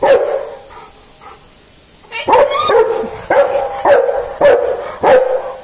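A Rottweiler gives a run of deep, full barks, about one every half second.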